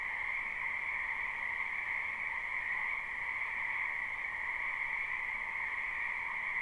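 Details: Frogs in great numbers croaking in a spring wetland behind a house, captured live without looping: steady, shimmering two-tone trill sustained without break, level and dense from start to finish.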